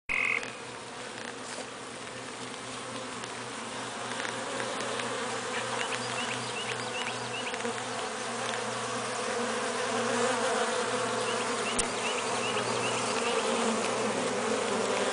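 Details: Honey bee drones make a steady, low droning hum of many wings buzzing together while stuck outside their hive, unable to get back in through the screened robbing entrance.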